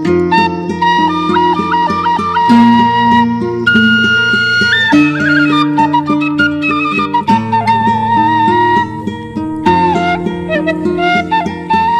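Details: A traditional flute melody over plucked string accompaniment, with loud sustained notes and no animal sounds.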